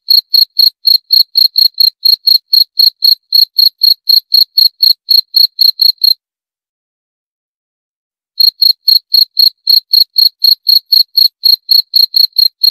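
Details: High, clipped cricket chirps in a fast regular series of about four per second, interrupted by a two-second gap midway, then resuming unchanged.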